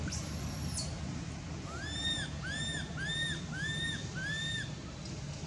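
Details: Pained crying of baby monkey Anissa at Angkor Wat temple, hurt when Aron hit and dragged her across the hard earth. A thin high whistle opens, then five arched, nasal wails follow about every half second over low rumbling noise.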